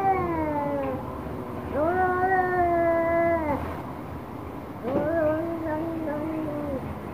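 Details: Orange cat angry at a black cat, uttering sustained, level, moaning yowls lasting one to two seconds each, the last one lower and fading, over a soft background hum.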